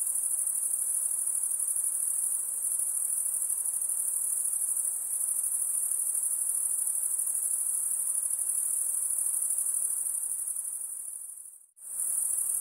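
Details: Lakeside insects produce a continuous high shrill trill that fades out briefly near the end, then resumes at full strength.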